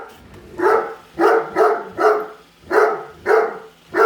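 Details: Great Dane named Padme, a pet, barking at a new Roomba she hates while following it around the house; loud, deep barks repeated about every half second, seven in quick succession, with short gaps between.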